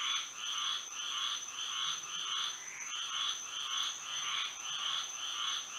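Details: Florida frogs calling at night in moonlight, a throbbing chorus of grating croaks repeated in even bursts about twice a second, backed by a persistent high steady tone.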